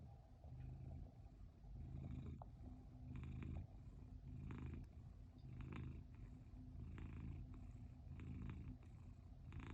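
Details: Cat purring while hiding: soft, low, steady rumbling in rhythmic pulses about every second, close and quiet, with faint rustling clicks above.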